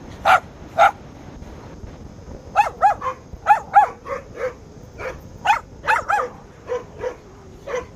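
Lhasa Apso puppies let out shrill, yappy barks in quick pairs and bursts to guard the house.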